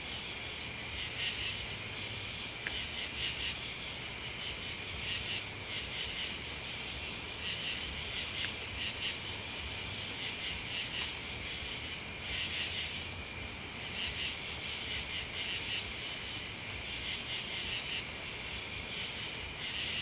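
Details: Crickets and other bugs chirping in a dense, steady high-pitched chorus, with brighter shrill pulses about every two seconds over a constant buzzing hum.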